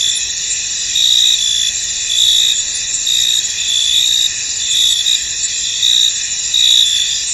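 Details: Crickets in a misty, foggy field: a steady high shimmering chorus of overlapping trills, with louder chirp bursts swelling out roughly every second or so and no other clear sounds.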